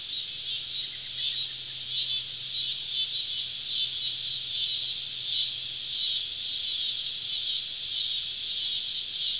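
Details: Dense summer cicada chorus on a southern evening, recorded while camping deep in the woods among the insects: loud, high, rasping buzz pulsing rhythmically roughly twice a second from start to finish.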